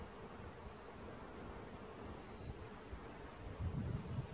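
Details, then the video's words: Buzzing of a honey bee swarm during its capture, perhaps two swarms: a dense, continuous low hum with a faint higher overtone, growing stronger in the final second over soft rustling. "Catching Bees start to finish bee swarm"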